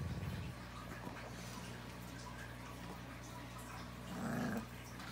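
Rottweiler puppies give brief low grunts and a short whining growl in a quiet room.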